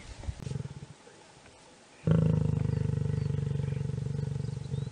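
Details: Lion and lioness mating: after a few soft grunts and a short lull, a loud, deep, rapidly pulsing growl starts suddenly and throbs steadily for three seconds.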